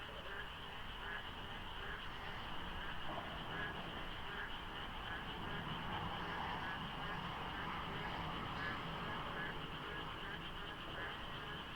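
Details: Frog chorus filling the darkness before dawn during the monsoon rains at Deokso interchange on a foggy highway with light traffic. The chorus is a dense, continuous wash with a steady high trilling band, over a low rumble of passing vehicles.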